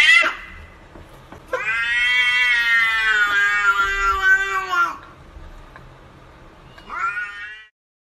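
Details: A cat gives a long, loud, drawn-out yowling meow lasting about three and a half seconds, rich and harmonic with a steady pitch, followed after a pause by a shorter rising meow.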